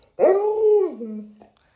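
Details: Lolo, a pet Alaskan Malamute indoors at home, gives one drawn-out howl of about a second and a half. It starts with a sharp rise, holds a steady pitch, then slides lower and fades out. A person talks just before and after.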